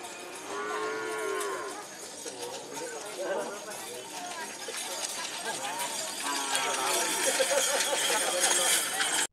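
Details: Cattle being prepared for a karapan sapi bull race at the Asemanis field on Madura, East Java, Indonesia: drawn-out, droning moos near the start and again later, over crowd chatter, jingling bells and dense background noise.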